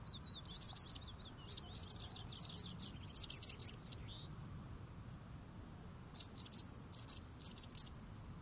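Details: Male field cricket clearing its front steps as it sings, producing steady shrill chirps, each a quick burst of three or four pulses, roughly two per second, with a two-second pause midway before the chirping resumes.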